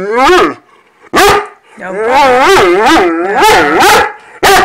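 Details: Foster Great Dane 'talking' to say he is ready to eat breakfast: a drawn-out moaning howl that rises, then a sharp yelp after a short pause, then a run of wavering, bending moans rising and falling in pitch, ending in another sharp yelp.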